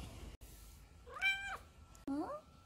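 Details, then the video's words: Female odd-eyed Munchkin short-leg cat, neutered, indoors, meowing to call her owner to play: two harmonic-rich meows, the first rising then falling, the second short and rising, with a woman softly talking to the cat. "놀아달라고 주인 부르는 귀여운 고양이"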